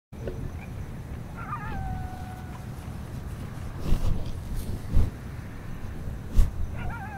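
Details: Coyotes heard from a public dock at Lake San Marcos on October 26, 2016 give brief, high, falling yips and barks, possibly alerting, over a steady low rumbling background.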